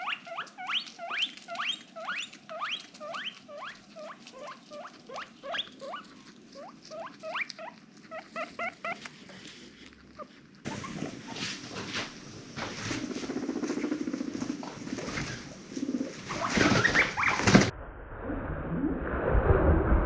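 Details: Female domestic guinea pig, excited and mischievous, giving quick rising squeaky chirps in a steady rapid series, followed by loud rustling and handling noise that drowns the calls.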